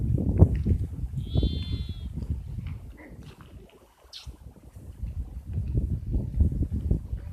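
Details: Sheep uttering one thin, wavering bleat of under a second amid steady low rumbling and shuffling background noise.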